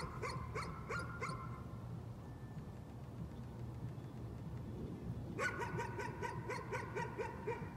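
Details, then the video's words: A dog keeps up nuisance barking: a few quick barks at the start, a long quiet gap with low hum, then a steady rapid series of barks for the last two seconds. "Nuisance barking again."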